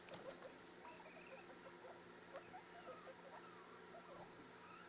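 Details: Guinea pig babies, newborn, popcorning as they follow their mother around: dense soft putting notes in quick succession, with a short wavering squeak rising above them.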